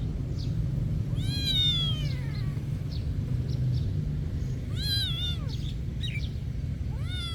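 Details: Cat meowing at a monastery: a long drawn-out wail that rises then falls, then a shorter bent meow, and a final rising meow, all over constant low background rumble.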